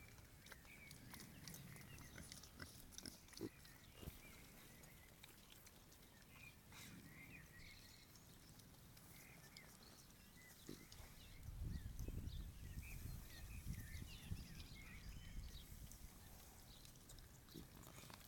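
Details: Berta, a traumatised female wild boar piglet newly taken into care, lets a human pet her for the first time and enjoys it with eyes closed, giving soft, low grunts and snuffles that swell into louder, rapid grunting toward the end.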